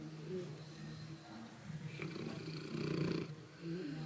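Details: Ruffus, a pet St. Bernard, snoring as he sleeps: a continuous deep, rattling rumble that swells and fades, growing loudest toward the end.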